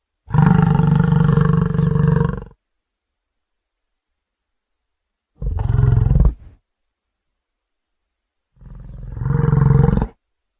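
A gaur gives three deep, harmonic bellows, each one to two seconds long, separated by silence.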